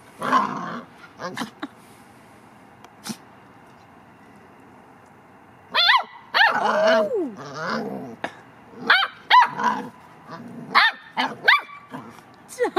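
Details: Domestic dogs at play, a Labrador Retriever trying to get a reluctant Cavalier to join in: sharp barks, short growls and whiny yelps in bursts, with a quiet stretch between bouts and brief human speech.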